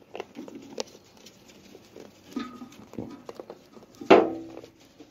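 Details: Baby goats playing and jumping beside their mother; a short bleat near the end stands out over scattered hoof patter and light bumps, with faint earlier vocal sounds.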